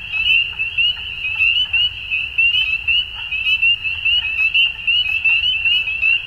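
A dusk chorus of frogs gives a steady, high, pulsing trill with sharp clicking notes overlaid.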